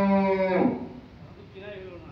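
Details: Cattle at a large farm with a fish pond in Bangladesh, April 27, 2024, give a strong harmonic moo that holds steady, then drops in pitch and breaks off after about three quarters of a second, followed by faint murmured talk.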